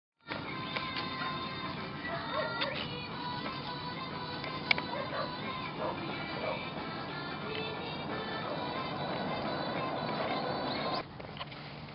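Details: Continuous background music with tonal melody, ending abruptly near the close.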